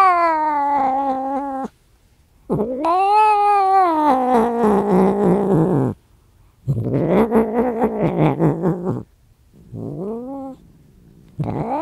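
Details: Angry cat yowling in long drawn-out wails, the first steady, the second arching up then down, followed by a rougher, noisier wail and a short lower rising moan near the end.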